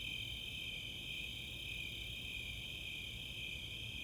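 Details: Brief stretch of a summer night insect chorus at Chautauqua open space in Boulder, Colorado, with Snowy and Four-spotted Tree Crickets: two steady, high, ringing trills blending into an unbroken drone.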